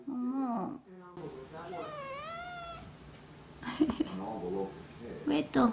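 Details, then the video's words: Domestic cat meowing indoors, nagging its owner to stop watching TV: one long, clear, arching meow rising then falling, with a person's voice before it and more talking and soft meows after. "티비 그만 보라고 귀엽게 잔소리하는 고양이"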